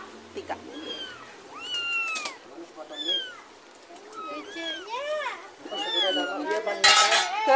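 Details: Kitten carried home from a neighbour with its mother cat following behind; quick repeated high meows rising and falling, roughly ninety per minute, with a sharp clatter near the end.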